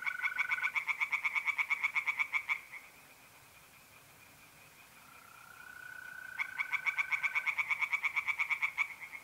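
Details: Tree frogs singing in a pond on an April night in north-east Italy: two bursts of fast, evenly pulsed croaking, a steady mole cricket trill running between them.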